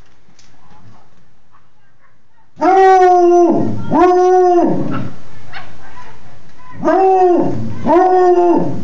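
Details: A female Black and Tan Coonhound howls loudly in long, rich, arching notes that rise, hold, then fall away.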